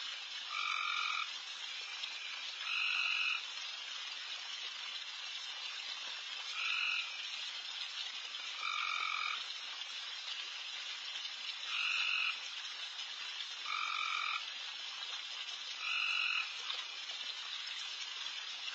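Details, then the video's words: Insanely loud frogs calling all over a backyard late at night while deer feed: a continuous high, hissing chorus, with louder two-toned trilled calls rising out of it roughly every two to three seconds. "Night Deer... with Frogs in surround sound"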